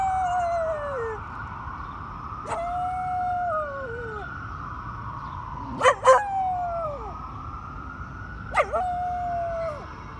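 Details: Texie, a one-year-old male Cardigan Welsh Corgi, howls along with emergency vehicle sirens: long sliding tones that rise then fall, repeated several times across the clip, with brief sharp bursts in between and a siren wailing underneath.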